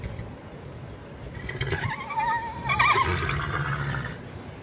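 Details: Horse at Kentucky Horse Park giving a whinny: a wavering, quavering tone that rises and shakes in the middle, sliding up near the end, over low rumbling background noise.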